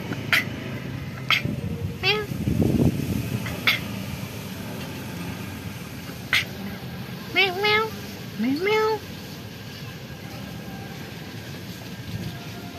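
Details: Shy black cat that lives in a pagoda, softly vocalizing: two short meows in quick succession, each sliding upward, after scattered clicks and a person's voice earlier on.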